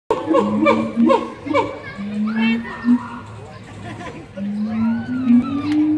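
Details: Siamangs calling at the Columbus Zoo in May 2017: low, drawn-out rising hoots climb in pitch in repeated bursts, mixed with quick higher yelps and sliding whoops, with faint crowd noise behind.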